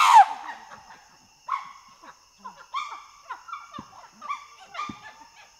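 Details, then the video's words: Chimpanzee calls: one sharp loud cry at the start, then a string of short, clipped barks spaced about half a second apart, fading toward the end; steady faint hum underneath. "Chimpanzee. Pant Hoot Developing Into Loud Screams & Clean Barking. Panting & Gr"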